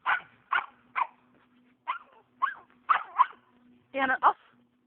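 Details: Norrbottenspets barking while hunting squirrels on private property in Oregon: spaced sharp yaps, then a quicker doubled pair, with a steady low hum and a possible voice near the end.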